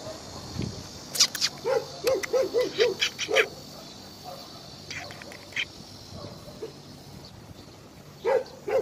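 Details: Dogs at Hanna's shelter, a shelter for abandoned dogs in Daegu, South Korea: a quick run of five mid-pitched barks, then scattered sharp sounds and a quieter stretch, with two more barks at the end.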